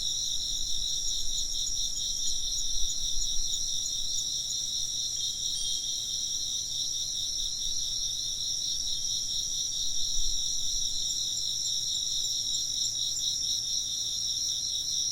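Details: A continuous high insect chorus of many overlapping chirps and trills pulses without a break. A faint low rumble sits beneath it.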